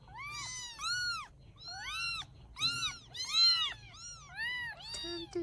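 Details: Rescued baby kittens in Vietnam, fed and going to sleep, crying in a steady run of high arched meows, about two per second, several voices overlapping, with little else heard.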